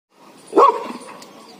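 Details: Laddu, a pet Labrador Retriever, reacts to a monkey with a single short, sharp bark that rises abruptly and fades into quiet background noise.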